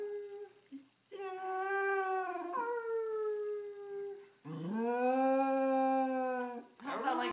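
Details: Pet dog howling at a phone indoors, two drawn-out tonal howls with rich harmonics, the first gradually falling, the second steady and lower, with a faint constant hum in the background and a brief noise at the end.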